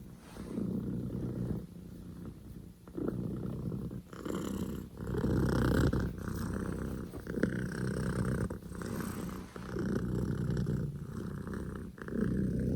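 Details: Poko J, a Scottish Fold kitten born 15 October 2019, purring hard and loud; rough low drone rising and falling with inhale and exhale, occasional small rustles in between.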